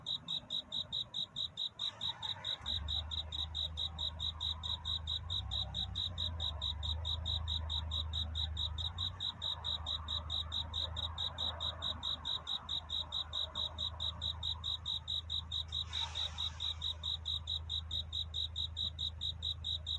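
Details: Courting cricket at night toward dawn, chirping in a fast, even, high-pitched train, while a low steady hum rises underneath after the first few seconds and a brief rustle comes around the midpoint.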